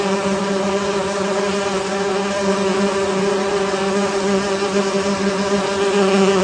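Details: Unbroken droning buzz from a honey bee hive, low and even in pitch with layered overtones, holding a constant loudness for the whole stretch.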